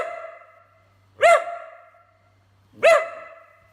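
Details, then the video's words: Pair of loud, clear barks from a whippet, spaced about one and a half seconds apart, each ringing briefly before fading out. "Whippet Talking, Speaking, Barking and Burping"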